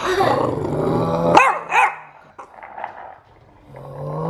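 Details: Bulldog playing with a skateboard: a steady low grumbling growl for over a second, then a few short sharp yelps, with a person's voice and handling noise in the background.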